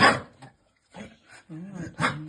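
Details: A juvenile Vizsla with juvenile-onset laryngeal paralysis gives a sharp, explosive sneeze, then rough snorting bursts, while a human voice soothes him.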